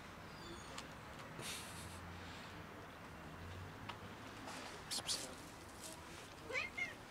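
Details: Cats feeding together as a family with a kitten among them. A couple of brief rising meows come near the end, after soft crunching and rustles, over a constant low hiss.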